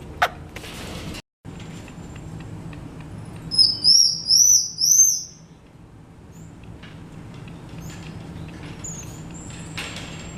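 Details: Black-eared (black-pencilled) marmoset at Japan Monkey Centre, Aichi, a friendly zoo animal that ran off when approached; a burst of four high, thin rising whistles in quick succession mid-clip, with brief clicks and low background hum.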